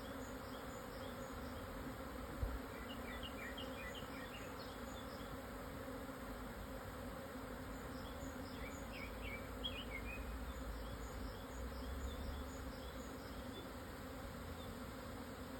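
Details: Japanese honey bees swarming at 12:50 on 17 June 2024, after strong wind eased at noon, at 1054 m in the southern foothills of Yatsugatake, Hokuto, Yamanashi, Japan; a steady dense low hum throughout, with faint bird chirps in the background.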